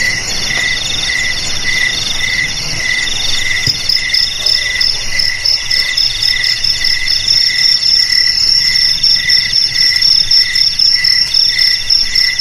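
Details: Crickets keep up a steady, shrill chorus of overlapping high trills. A pulsed lower chirping grows stronger and quicker partway through, and a fine rapid ticking runs along the top of the sound.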